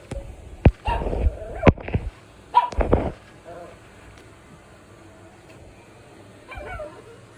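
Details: Little puppy making funny noises, barking and growling: a cluster of short, loud, harsh yaps and growly bursts in the first three seconds, then near quiet, with a faint thin whine near the end.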